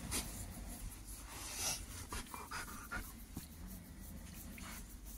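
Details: Pet dogs playing on a bed indoors at bedtime while one is ready to sleep; soft panting breaths with a few brief high whimpers around the middle, over rustling bedding and small knocks.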